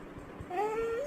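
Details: A pet Labrador Retriever, a carrot lover, whines while asking for a carrot: a thin, high, steady whimper that holds level, then lifts slightly at the end, as a person asks in Tamil what it wants.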